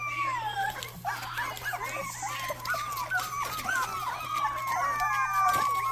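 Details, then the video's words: Rottweiler puppy giving its first barks indoors: a run of thin, high-pitched squeaky yelps and wavering whines, rising and falling in quick succession, with a steady low hum underneath. "first barks"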